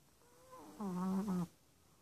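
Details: A six-month-old Chihuahua, adopted from a shelter two days earlier, snores while asleep. One short, tonal, whining breath sound with a low steady pitch and rich overtones, about a second long, in a quiet room.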